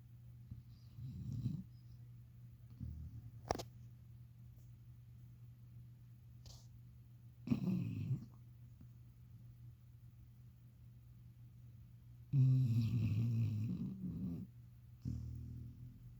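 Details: A sleeping dog lying on a pillow snores loudly: low, rumbling breaths come in separate bursts over a steady low drone, the longest near the end, with a soft woman's voice afterwards.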